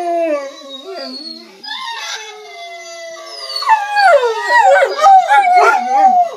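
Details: German shorthaired pointers howl together, listening to recordings of themselves, in long, wavering tones that rise and fall.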